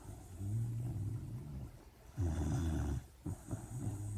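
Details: Sleeping puppy in a dream, producing drawn-out low grumbling snores with a buzzy, vibrating tone, one long surge mid-clip followed by shorter snorts.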